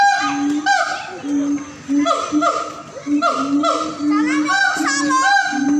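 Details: Siamangs calling at a North Sumatra zoo: deep repeated booms alternate with sharp upward-sweeping barks and whoops, several voices overlapping in a loud, rhythmic exchange.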